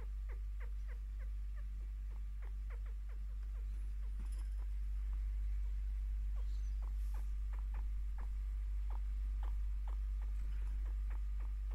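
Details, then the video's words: A 5-year-old female pet chinchilla gives quick, squeaky chirps in rapid bursts, a happy, contented sound she makes when her owner sits down to give her scratches and attention. "Actual chinchilla chirping, content/happy chinchilla sound (improved)"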